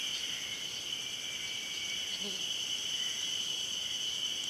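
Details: Spring cicadas of the Ezo-haruzemi kind at Hayama in Nagai, 24 May 2015, keep up a steady high-pitched wall of buzzing throughout; a faint low murmur appears briefly.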